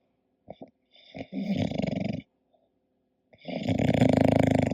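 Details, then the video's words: Sleeping English Bulldog Koda: a few short snuffling clicks, then two long gravelly snores with a vibrating, rattly texture, the second louder and building toward the end. "My english Bulldog snoring"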